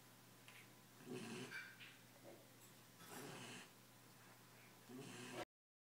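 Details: Tired, happy Belgian Malinois puppy, 10 weeks old, asleep and snoring softly: faint, breathy, noisy bursts roughly every two seconds, each lasting under a second, separated by quiet pauses.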